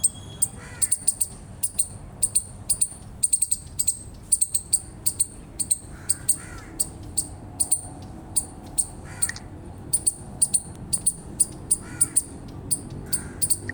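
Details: Rapid high-pitched chipping from an eastern chipmunk, often in quick doubled notes, kept up throughout, while a few fainter, lower, rougher calls sound in the background.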